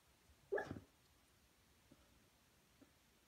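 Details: Sleeping Beagle named Junior giving one short, muffled bark while dreaming, followed by faint small puffs of breath in a quiet setting.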